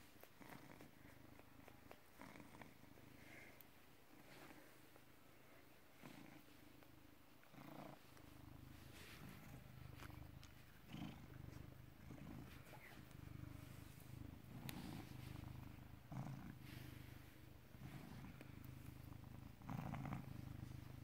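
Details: Domestic British Shorthair, born 18 August 2010, recorded 16 November 2017 in the afternoon: continuous deep purring for about twenty seconds, pulsing with each breath, scattered light taps and rustling in the background.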